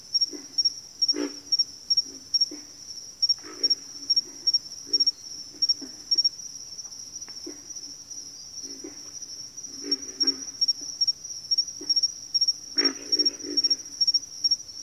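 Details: Frogs calling in a backwater chorus, scattered low grunts and short rattling croaks from several callers, some louder bursts near the end, with a continuous shrill insect buzz above.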